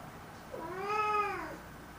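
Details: Indoor black cat letting out a single complaining meow, rising then gently falling in an arch, rich in overtones, lasting about a second in a quiet room.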